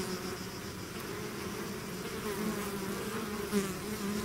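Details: Swarming bees that have left their hive, heard as a close, steady drone with layered low tones and brief louder passes of individual bees overhead.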